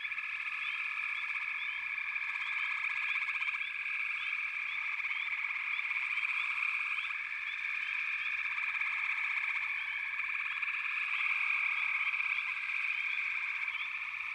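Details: Many frogs calling together in an unbroken, high buzzing trill that swells slightly now and then, with quick upward chirps scattered across the chorus.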